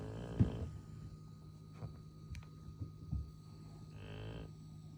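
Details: Golden retriever snoring while asleep, two grating breaths about four seconds apart, separated by soft taps and a steady low hum.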